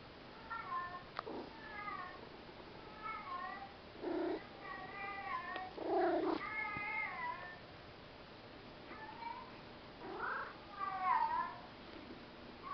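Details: Pet cat Church answering a recording of another cat saying hello, with a run of separate meows rising and falling in pitch over about twelve seconds, some drawn out, in a quiet indoor room.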